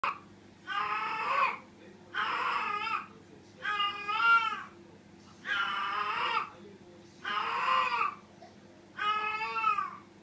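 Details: Female cat named Peko in heat, seeking a mate, indoors; six loud, drawn-out wailing cries, each lasting about a second, repeated roughly every two seconds with steady low hum between.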